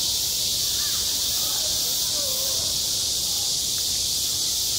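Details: Cicadas singing in high summer on a school playground: a dense, unbroken, hissing buzz high in pitch fills the whole clip at steady loudness, with faint distant voice-like sounds drifting underneath.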